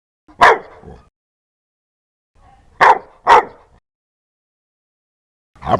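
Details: Harsh, loud dog barks, one bark then a quick pair after a pause, another starting at the end, quiet background.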